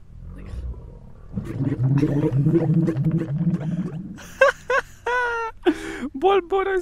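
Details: Dromedary camel in the Wadi Rum desert, a male making a low bubbling, gurgling sound said to attract females; a steady burst of throaty pulses, then laughter and excited human voices.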